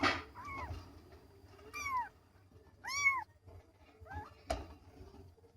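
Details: Two young kittens mewing: four short high meows with arched, harmonic-rich contours, spaced about a second apart, in a quiet indoor setting with faint low background hum and a sharp click near the end.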